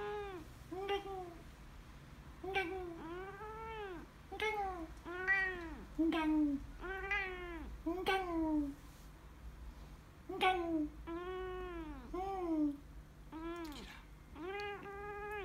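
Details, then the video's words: White Siamese cat talking indoors: a long series of short, arching meows and chirpy mews, some rising then falling, delivered in quick bursts with brief pauses, quiet room background. "White siamese cat talking"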